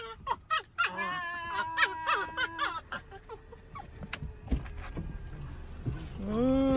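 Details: Pet dog Max waiting with family in a car at the Richmond Olympic Oval parking lot during a grandson's ice hockey practice; a burst of high, wavering whines and short yelps, then a single rising whine, with people talking nearby.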